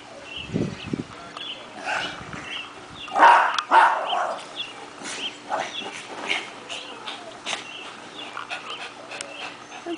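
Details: Shih Tzu, almost ten years old, playing with a big ball; a few short yips and barks among excited panting and scuffling, with a person talking to the dog.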